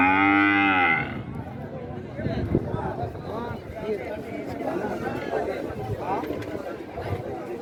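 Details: Cattle at the Aricha cow and goat market, Shivalaya, during sales of sacrificial cows before Qurbani 2022: one loud, harmonic, steady moo lasting about a second, then crowd chatter and voices fill the busy market.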